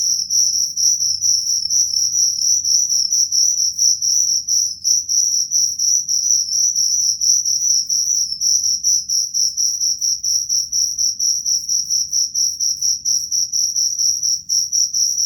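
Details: Cricket sound meant to drive away rats: a steady, shrill high chirping band with a fainter overtone above it, pulsing continuously without pause, over a faint low rumble.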